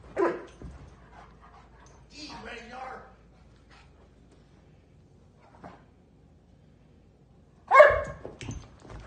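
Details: Dog cousins at their first meeting, with Toby emerging from hiding to play; sharp, loud barks burst out at the start and again near the end, separated by a person's brief talk and quiet scuffling.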